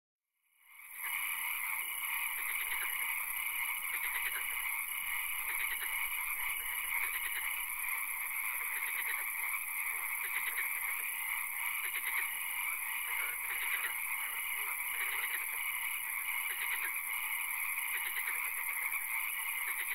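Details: Frog calls in a swamp at night, with occasional rain: a dense, steady chorus of many frogs, with short pulsed notes repeated at a quick rate over continuous high whining and hissing bands.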